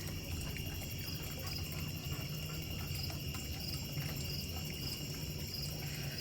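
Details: Steady high trilling of crickets and other insects on a sheep farm on an evening in late August, just after the rain stopped.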